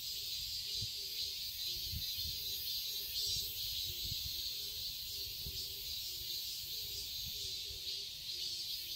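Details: Cicadas in a summer garden in Seoul, Korea: a dense, continuous high shrill buzz that hardly wavers, with soft low pulsing notes repeating underneath and faint rustles.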